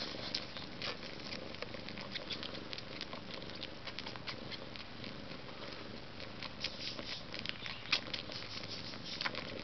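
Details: Two Maine Coons, one entirely white, purring softly; a continuous low throbbing rumble under dense irregular clicks and light patter.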